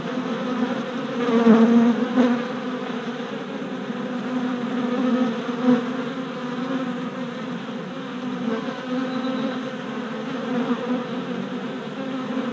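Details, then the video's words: Steady buzzing of worker honey bees flying orientation flights at a new hive body in spring, with louder swells around two and five seconds as bees fly close, then an even drone. "Honey Bee Orientation at Hive"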